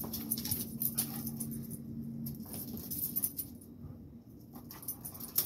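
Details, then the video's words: Rottweiler and blue pit bull locked in a fight: deep, steady growling for the first two seconds, then broken snarls and scuffling thuds with sharp, clattering noise on top. "Dog Fight Rottweiler VS blue pit bull"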